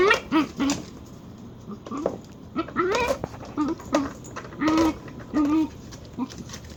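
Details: Pet dachshund uttering strange nasal whines and squeals, several short wavering cries with upward and downward pitch bends, irregularly spaced across the recording, with low background noise and some faint speech.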